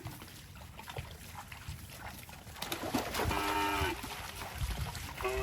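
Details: A cow walking through water in rice fields gives one short moo midway, followed by a brief second call at the end, over sloshing water and scattered splashes.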